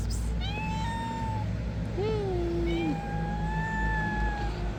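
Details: Meowing from three hungry stray cats being fed: long sustained meows overlapping, one lower voice arching up then flattening, another steady and drawn out, over heavy low-pitched background hum.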